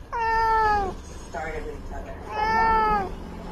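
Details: House cat calling two clear, drawn-out meows, each rising slightly then falling away, with a short, softer mew between them.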